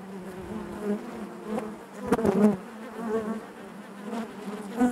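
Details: A honey bee colony humming within the hive, an even, low drone punctuated by a loud burst of close buzzing a little past the two-second mark and another rise at the end.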